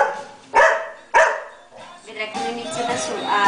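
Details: A Golden Retriever watching itself on television gives two sharp, loud barks about half a second apart, with the TV sound behind.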